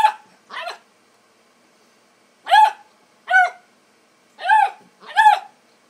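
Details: Young Bluetick Coonhound at play with a kitten on the porch: six sharp, bright puppy barks, the first two quick and close together, then two more pairs after a pause.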